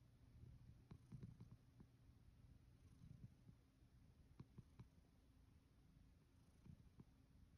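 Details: Male rescued cat Sacchan, living at Kazeno Kobo workshop with an elderly woman, asleep under the futon on his fourth night, purring in a soft, low, steady rumble with faint rustling clicks of bedding in a quiet room.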